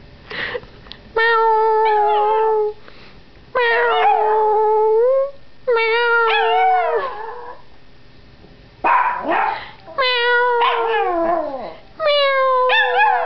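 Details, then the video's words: Howie, a young Yorkshire Terrier, howls for the first time, set off by meowing: sustained, steady-pitched harmonic wails, each lasting one to two seconds, come in a series of about six, with short pauses between them. "Young yorkie howling at meowing"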